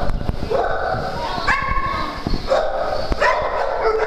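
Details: Farm dogs at play give short harmonic barks and higher yips in quick succession, two or three loud bursts within a few seconds, over a noisy background.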